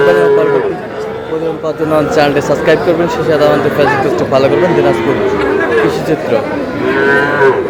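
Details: Small bull calves bought at market in Comilla, Bangladesh: several long, wavering moos overlap one another almost continuously, while a crowd chatters loudly throughout.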